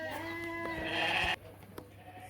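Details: Sheep and rams at a livestock market in the Qarshi area of Uzbekistan; a sustained harmonic bleat of about a second ends abruptly, followed by quieter market background.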